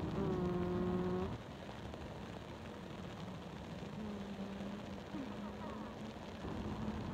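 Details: Australian stingless bees at work at a meliponary on the Gold Coast, Queensland, recorded 24 February 2019: a loud, steady harmonic buzz for just over a second, then fainter droning tones over a low background rumble.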